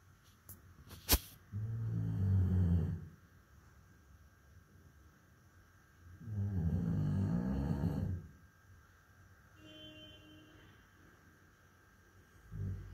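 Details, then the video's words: Sleeping Labrador Retriever snoring: two long, low rumbling snores of about two seconds each, separated by quiet breathing pauses, with a brief sharp click near the start. "SNORING LABRADOR RETRIEVER"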